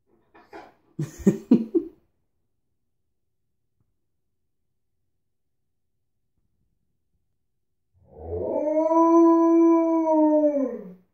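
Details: After brief human talk and a long quiet gap, Tonka the Alaskan Malamute, who pushed into the bathroom through an unclosed door, produces a sustained clear howl that holds steady, then gently falls at the end.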